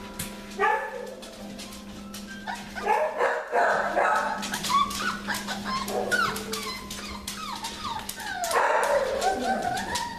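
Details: Several winter-litter puppies in the morning, chattering with overlapping whines, yips and short squeals, dense and irregular, with a steady low hum beneath and soft voices at times.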